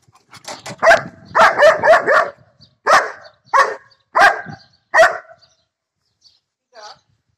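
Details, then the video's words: A one-year-old female German Shepherd attacking a lawn mower barks loudly and harshly, first in a quick cluster of several barks, then single barks about every second, before a faint final yelp and silence. "German shepherd and lawn mower"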